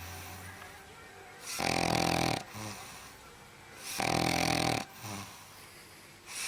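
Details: Loud snoring from a sleeping dog, harsh wheezy inhalations lasting under a second, coming at a steady pace about every two and a half seconds, with softer rattling breaths in the gaps.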